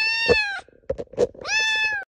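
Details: An indoor foster kitten, alone after the others went to the vet, gives two loud, long meows, the second rising then falling, separated by a few soft knocks.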